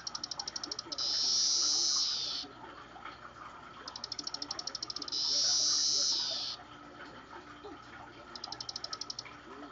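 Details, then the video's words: Caged Magicicada tredecassini periodical cicadas chorus in synchrony, prompted by a recording of themselves played moments earlier; bursts of fast high ticks each lead into a loud sustained shrill buzz, repeating roughly every four seconds. "Periodical cicadas chorusing in captivity"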